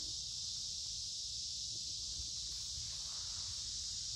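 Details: Many noisy cicadas singing in woods along a creek in midsummer on a warm, humid day: a dense, unbroken high-pitched hiss that holds steady throughout, with faint low rumble underneath.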